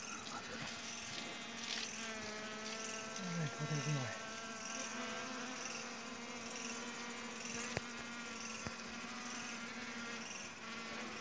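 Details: Honey bees met while hunting honey at home give a faint, continuous low hum at an even pitch, with a few brief voices and clicks in the background.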